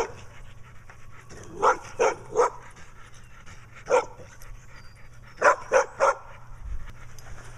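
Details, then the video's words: A dog with black eye patches barking repeatedly at someone weeding the yard; loud sharp barks in two bursts of three with a single bark between, outdoors with a man talking. "Dog with Black Eye Patches comes back and barks some more."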